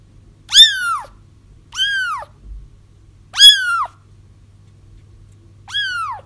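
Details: Kittens crying to call back a feral mother for trapping: four strong, bright meows that rise then fall, each with a long tapering tail, spaced about one to two seconds apart above a quiet low hum.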